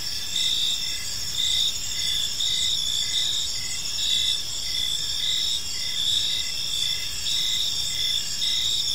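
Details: Crickets chirping in a peaceful park as evening unfolds: a steady high-pitched chorus of overlapping trills, with short pulsed chirps repeating roughly twice a second over a constant shimmering drone, and a faint low rumble beneath.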